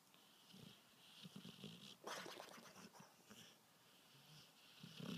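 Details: A dog with allergies snoring: soft, breathy rasping breaths, with a louder, rougher snort about halfway through and another at the end.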